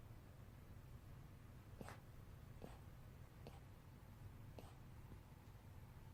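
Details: Pet dog Eungsuni squeaking in its sleep, the occasional 'ppyok ppyok' noises it makes while sleeping: four short, faint, sharp squeaks about a second apart over a steady low hum in a quiet indoor room.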